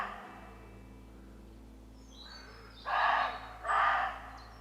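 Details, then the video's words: Roe deer barking, part of a long calling exchange between deer on a walk: two loud, harsh, broadband barks about a second apart near the end, with faint high bird chirps in the background. "Roe deer bark | Roe deer call"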